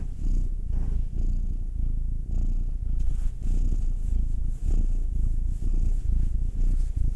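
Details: Domestic cat purring while being massaged, one of two cats: Will, a nine-year-old male black cat, or Anzu, a two-year-old female tortoiseshell Munchkin. Deep, continuous rumbling purr with steady pulsing and slight surges in loudness throughout.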